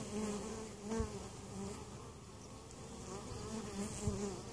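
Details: Honey bees at a hive in Mt. Perry, Ohio, a weak colony that survived winter and was treated for varroa mites, with queen and capped brood present; a steady droning buzz with layered overtones wavers and swells as individual bees pass close.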